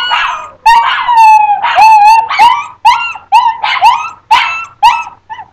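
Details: Chinese Crested dogs, two pets aged two and three, howling indoors: loud drawn-out wavering howls with yelping breaks, sliding up then falling, repeated about twice a second with short gaps between.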